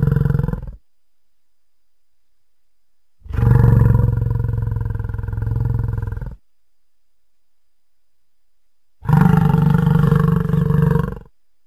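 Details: American bison bellowing: three long, loud, deep roars, each lasting about two to three seconds, separated by several seconds of silence, with a rough, throaty tone.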